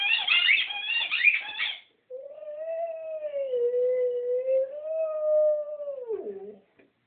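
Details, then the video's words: Rhodesian Ridgeback named Vaeda singing: after about two seconds of a brighter, busier vocal burst comes a long smooth sustained howl, wavering gently up and down for four seconds before sliding downward and fading. "Singing Rodesian Ridgeback. This Vaeda the fantastic vocalist."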